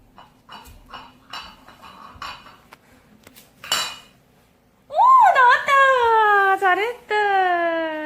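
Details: Pet poodle puppy whimpering to ask for treats indoors: clinking dishes and a woman's talk first, then a loud, drawn-out, wavering high whine that rises and falls over about three seconds.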